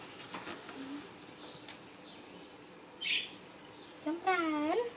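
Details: Pet kitten Chomrean gives one clear, drawn-out meow that dips and then rises in a harmonic-rich cry near the end, following faint squeaks and light rustling in a quiet indoor space.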